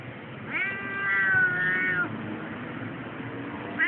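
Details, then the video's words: Annual vet trip protest from Keiko, a Siamese cat, at a tram station: one rising then sustained meow lasting about one and a half seconds, followed by quiet station rumble and the start of another call. "Keiko complaining about her Vet trip while at the tram station"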